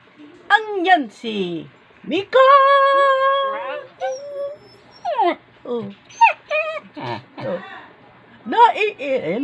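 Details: House dog that its Filipino owners say is angry and irritated and talking back. Wavering whines, yips and one sustained harmonic moan alternate with a woman speaking Tagalog close by, indoors.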